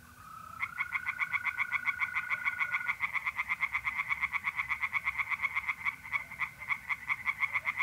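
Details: A night chorus of tree frogs at a pond in North-East Italy in mid-April. Dense rattling croaks speed up to about four a second, and a continuous mole cricket trill sounds through the first three seconds.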